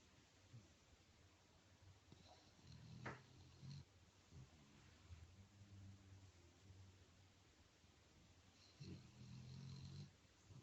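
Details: Dog enjoying a massage, snoring comfortably indoors: low, throaty rumbling snores with a faint harmonic buzz, one burst near the third second and a longer one near the end, over a quiet room hush.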